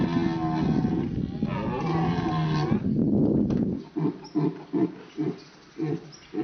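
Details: A red deer stag gives a deep, drawn-out rutting roar at dawn in autumn fog, among a herd of over 60 hinds and stags at Sainte-Croix animal park, Lorraine, followed by a man speaking French.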